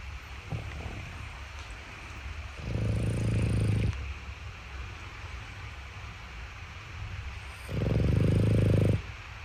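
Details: Boston Terrier puppy sleeping outside its cot, giving two long, resonant, steady snores of over a second each, about five seconds apart, with a low harmonic drone and a quiet background.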